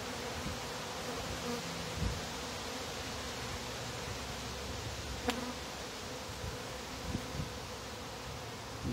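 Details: Honey bees at a top-bar hive, many still gathered at the entrance as its bottom board is closed, give a continuous, dense, low droning hum that swells and settles without a break. A few soft knocks and clicks sound through the buzz.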